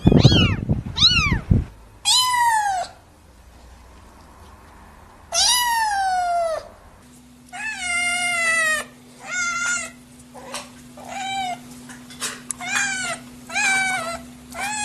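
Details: Newborn kittens meowing, several clips joined: long wavering mews and quick bursts of short cries, repeated several times a second at times, over a steady low hum and occasional rustling.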